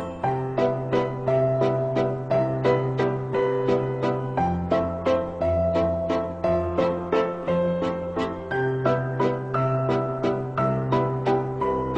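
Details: Cheerful tinkling piano-style tune with a steady bouncing beat, and no other sounds.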